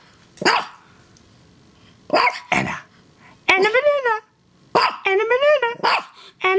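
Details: A playful female pet dog, described as only six and a real crazy dog, gives short sharp barks and higher, yelping, whine-like barks with wavering tones, in irregular bursts separated by quiet pauses, while a person talks nearby.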